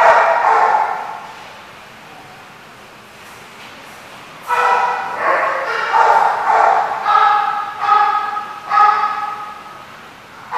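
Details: Dog barking in bursts, with a quiet stretch first and then a run of loud, ringing barks, each with a harmonic edge, about one every second toward the end.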